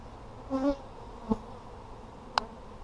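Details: Honey bees during a hive inspection of an Apimaye hive on July 23, 2020, with lots of brood found: a brief low harmonic buzz of a bee passing close, over a faint colony hum, with two sharp clicks of handling.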